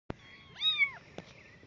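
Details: Abandoned kittens outdoors give a single high, arching meow with stacked harmonics, rising then falling over about half a second. A sharp click comes before it and another after it.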